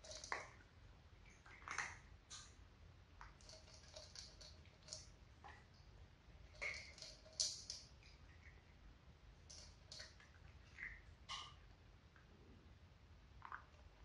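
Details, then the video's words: Crunchy kibble meal shared by two adult sister cats and two kittens, recorded as calm ASMR: steady irregular crisp chewing clicks and crunches throughout, busiest in the middle, fading toward the end. "Cat food eating sound"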